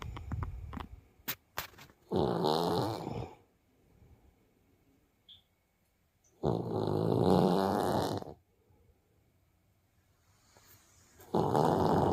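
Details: Sleeping Siberian tiger cub at a zoo snoring: three rasping, fluttering snores, each about one and a half seconds, spaced roughly four seconds apart with near silence between, a few soft clicks at the start.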